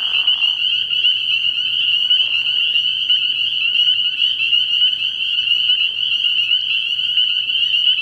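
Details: Early-spring frog pond at night full of spring peepers, their high peeps blending into a constant, pulsing shrill chorus; a short lower croaking sound opens the recording over a faint, steady low hum.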